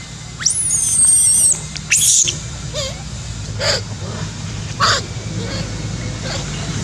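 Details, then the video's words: Baby monkey named Alba crying loudly in anger after being hurt by Asha: shrill, high squealing screams, one long sustained wavering squeal followed by shorter sharp cries at intervals, over a steady low background hum. "Alba is very angry with Asha that hurts her so much! Alba cries so loudly!"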